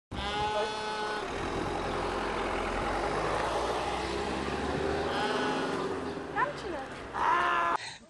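Several sheep give quavering, nasal bleats, one long at the start and shorter ones later. A constant low mechanical drone, like a running vehicle, fills the background, and a voice may be heard near the end.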